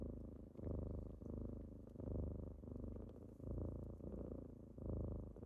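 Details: Close, steady purring as kittens wake someone on a typical morning: a warm vibrating rumble swelling and easing rhythmically, about four pulses in five seconds, the room otherwise quiet.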